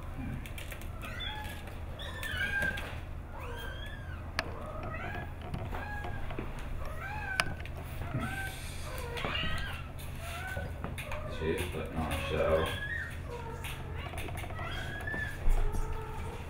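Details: Curious kitten in a basket looking for a place to play, filmed at Sante D'Or Adoption Center; many short high mewing calls, some rising and falling, over steady low background hum and occasional speech.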